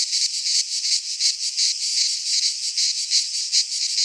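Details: Short burst of midsummer cicada song from a Greek pine forest, a piercing buzzy drone that swells and dips in quick rhythmic waves, several per second, with no other sounds.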